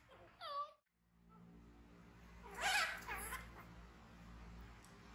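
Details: Frightened orphaned baby monkey, taken in by villagers from the jungle, indoors: a short harmonic cry, then after a pause a loud, harsh, rising scream followed by a second shorter scream, with low background hum.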